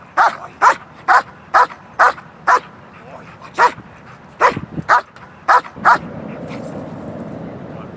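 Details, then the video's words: Two protection dogs trained to bark on cue at a ball, the first stage of teaching alerting for bite or alert dogs; sharp single barks repeated about every half second, a brief pause, then more barks and a low rumble of noise. "so they're both dogs we taught them how to bark on cue at the"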